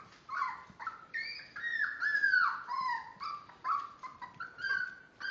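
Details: Miniature Dachshund puppies, five weeks old, born March 30th, indoors; overlapping high whines and squeals, rising and falling, nearly continuous with short gaps.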